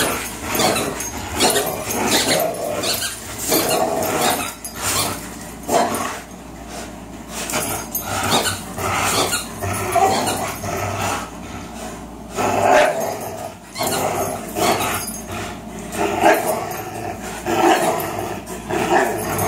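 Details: Long tug-of-war marathon between Fox, a 3-year-old Greyhound, and Miles, a 3-year-old German Shorthaired Pointer, who often play this way: continuous gravelly growls pulsing in uneven bursts.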